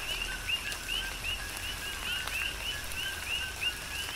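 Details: Coqui frogs call in a Big Island, Hawaii rain shower, about three chirps per second, each a quick upward whistle preceded by a lower tone, mixed with steady rain hiss and occasional drip clicks.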